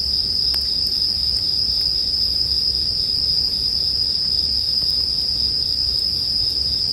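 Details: Bell crickets in a sleep soundscape mixed with a bonfire: a steady, unbroken high ringing drone holds throughout, over soft low rumble and a few sharp crackles from the fire.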